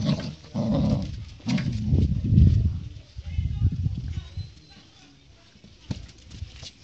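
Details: Siberian Husky puppy Thor growling while fighting a golden retriever puppy: low, rough growls in uneven bursts over the first three seconds, then quieter rumbling and scuffling noises.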